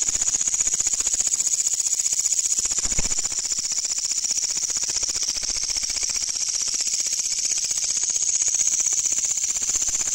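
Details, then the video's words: At night, a katydid gives its loud sound: a rapid, pulsing high buzz with fast even beats, sustained without pause, and a faint low thump partway through. "The Katydid's Sound Is Very Loud"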